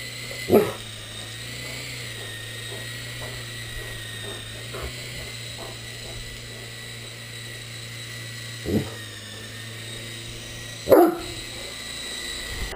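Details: A Great Dane chasing an RC helicopter gives three sparse, gruff barks spread over several seconds, while the flying toy's high-pitched buzzing drones continuously behind them.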